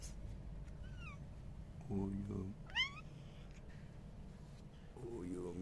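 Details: Pet cat indoors in a home in Turkey, meowing softly while its owner coos at it; a few short, rising meows spread over several seconds, over quiet room noise.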